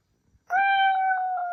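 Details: Male pet Ragdoll cat, indoors, crying out angrily after its meow was mimicked: a single sustained, steady, tonal wail held for about a second with rich harmonics and little pitch change.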